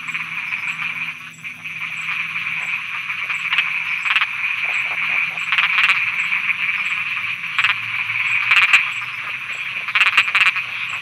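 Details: Frogs croaking at night in Thailand: a steady, dense high chorus with short sharp croaks and clicks breaking through at irregular moments, plus a faint low hum underneath.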